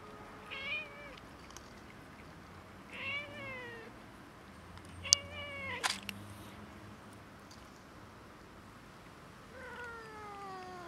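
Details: Cats and a kitten fighting a little over food: four separate plaintive meows, each bending upward then sliding down, spaced a few seconds apart, with a sharp hiss-like burst and clatter near the middle.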